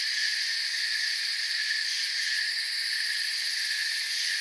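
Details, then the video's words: Chirping crickets fill a forest soundscape with a constant high-pitched wall of sound, several steady tonal layers and a fast shimmering pulse in the upper range, uninterrupted and unchanging in loudness. "Forest Sounds and Crickets"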